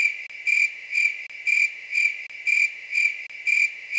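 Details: Grasshopper calling at night: shrill, steady pulsed chirps repeated about once per second in an even rhythm, with no other sounds.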